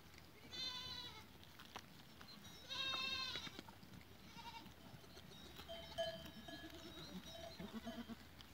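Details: Two loud quavering goat bleats, one early and one near the third second, from goats recorded on 14 April 2023, followed by distant clanking cowbells and quieter background bleating.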